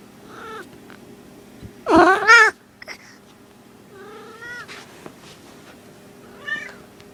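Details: Female pet cat named Skittle in heat, calling indoors: a few short warbling cries with stacked harmonics, one loud wavering yowl near the start, then softer rising-falling mews spaced a couple of seconds apart, with a steady low hum behind.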